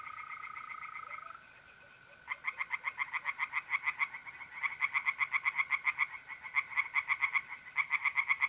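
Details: Mid-April night at a pond in north-east Italy. Mole crickets trill steadily at first, then after about two seconds singing tree frogs break in with loud, rapid, rattling pulse trains repeated in quick bursts.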